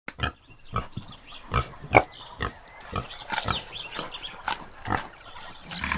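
A common warthog gives a run of short, rough grunts and snorts at irregular intervals.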